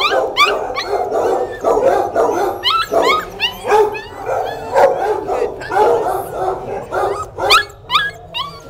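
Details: Mother dog with her eight pups; high thin whines and squeals from the puppies, many short rising and falling cries overlapping continuously.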